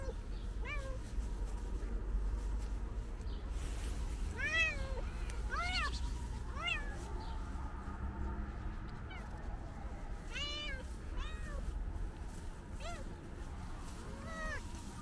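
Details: A calico cat meows loudly and repeatedly, apparently wanting to tell something; about ten arched, harmonic meows spaced one to two seconds apart over a constant low-frequency hum.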